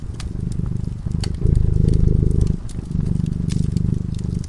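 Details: Purring of a cat sleeping by a cozy fireside: a deep, pulsing rumble in alternating softer and louder stretches, each about a second long, while the burning logs snap and crackle.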